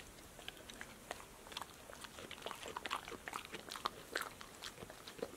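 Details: Close-up crunching of a female dog snacking on fruit, vegetables and sunflower seeds in the shell indoors; dense run of short crisp chewing snaps and mouth clicks, steady and irregular, soft room background.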